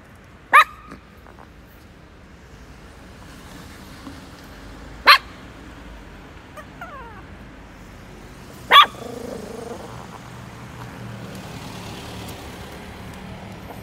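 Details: Chihuahua barking: three short, sharp single barks spaced about four seconds apart, with quiet background hum and faint other noises between them.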